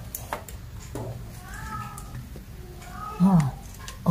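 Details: Little kittens at play, chasing and leaping, let out two drawn-out, wavering meows about a second and a half apart, with a low room hum and brief thumps around them.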